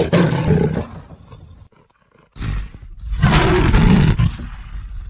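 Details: Leopard roaring with rough, low, breathy bursts: a short loud grunt, a quiet pause, then a longer grating roar that swells and fades, rasping textures throughout.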